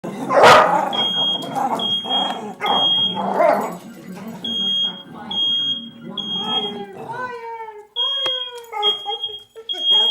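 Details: Pet dog named Coco reacting to a smoke alarm indoors: rising and falling wavering howls in the second half, with earlier noisy vocal bursts, while the alarm beeps in short high repeated pulses throughout.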